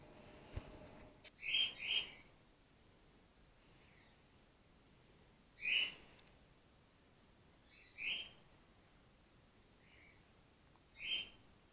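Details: A young grey-headed flying-fox named Gwickle, hand-reared and support-fed by bottle while in care. Soft, high-pitched squeaks arrive as a quick pair, then singly every few seconds, with faint background hiss between them.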